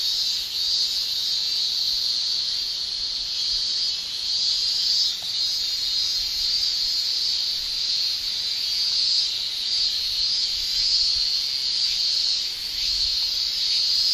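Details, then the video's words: Summer chorus of male cicadas in Japan, their tymbals buckling rapidly to shrill; an unbroken, piercing buzz holds one high pitch throughout, softly waxing and waning, with a brief dip near the middle. "Japan Summer Cicada Shrilling"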